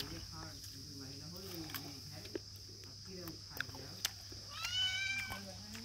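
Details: Kittens meowing, with a clear rising, harmonic meow near the end, softer mewing earlier, and a steady high insect-like whine throughout.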